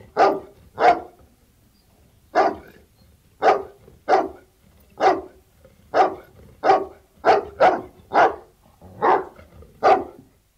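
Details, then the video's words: Outdoor Bullmastiff barks in uneven bursts, pairs and single deep woofs, separated by short quiet gaps, in a clean recording without background noise. "Bull Mastiff Barking, Exterior"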